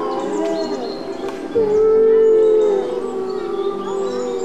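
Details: A group of white wolves in a wildlife park howl together, one long steady tone rising above other overlapping, wavering voices.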